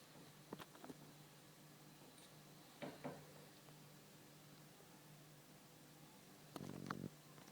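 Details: Chuck, a pet cat nicknamed the Lion King, purring indoors as a soft, steady low rumble throughout, broken by a few faint clicks and taps and a brief louder rustle near the end.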